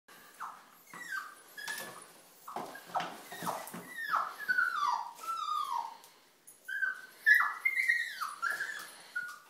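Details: Puppy crying at 4:45am while stuck in a tissue box indoors; high whiny cries sliding downward, repeated in quick bursts, mixed with sharp knocks and banging.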